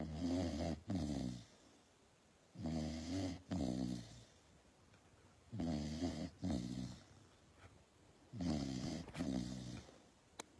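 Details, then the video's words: Pit Bull asleep, snoring loudly in a small room: four heavy, buzzy, low snores, each split into two throaty pulses, arriving about every two and a half seconds with near silence in the gaps. "Pit Bull Sleep"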